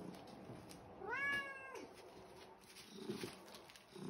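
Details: Very vocal, fat, fluffy pure white pet cat meowing indoors to ask for breakfast; one clear drawn-out harmonic meow that rises then holds, with a woman's voice calling him before and after.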